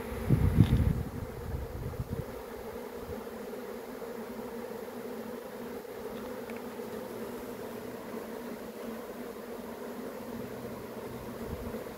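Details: Honey bee swarm: steady droning hum with a low tonal band, with loud low thumps and rustling in the first two seconds, then an even buzz throughout.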